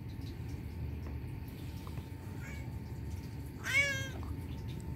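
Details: Turkish Van cat mewing cutely indoors: a single clear, bright meow with strong harmonics, bending up then down, preceded by a faint shorter chirp, over a low steady hum.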